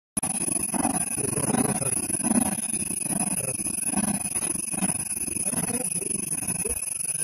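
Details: Black leopard, called a black panther, in India giving a sawing call: a run of coarse, low rasping strokes repeated roughly every 0.7 seconds over about seven seconds, with a steady high-pitched hiss in the background.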